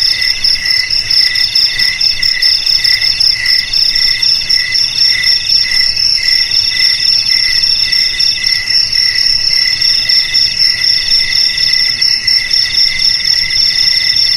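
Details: Cricket song used to scare rats away from homes and farms: a dense, unbroken shrill chorus, the lower band beating in rapid pulses, several per second, with nothing else audible.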